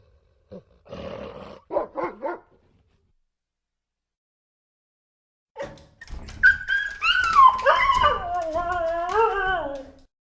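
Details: Puppy or dog from a cute funny dogs compilation: a few short yips and whimpers, a pause, then a long quavering whine rising and falling like a howl, trailing off at the end.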